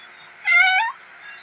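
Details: Indoor pet cat, a playful young male, gives a single clear meow about half a second long, slightly rising then falling, with strong layered harmonics; quiet room background and a person talking softly in Tamil nearby.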